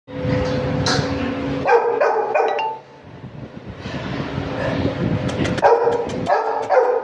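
A Chow Chow puppy gives high, short yipping barks in quick bursts over a low background hum.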